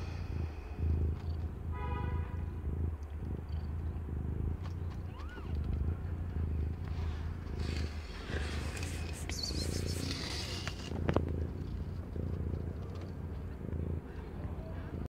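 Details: Purring from Aimee, a female domestic cat under a year old, during the birth of five kittens of different colours; continuous deep pulsing rumble, a short thin mew early on, and rustling movement midway.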